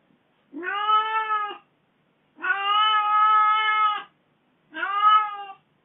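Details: Kitten meowing in an aggrieved, complaining way after its owner was away from home for four days: three long, steady, tonal meows, the middle one drawn out longest, separated by silence.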